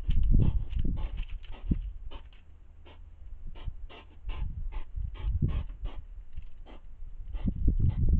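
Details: Hedgehogs squabbling over food at dinner time, huffing at each other: rapid, breathy, noisy puffs and snorts in quick irregular bursts, with low thumping rustles between them.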